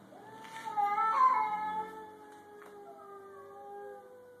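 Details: Stray grey and white cat and a black cat facing off in a garage, about to fight: a swelling wailing yowl that rises and wavers, then trails off into a long lower drawn-out moan.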